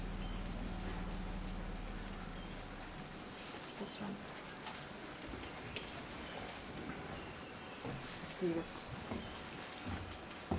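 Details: Elephants at a mineral pit during a female-female dominance interaction: AidaII, in estrous, near the musth bull Thick Right, tests the drinking Dorkus family with trunk smelling. A deep, steady, layered rumble fills the first three seconds, then people talk quietly.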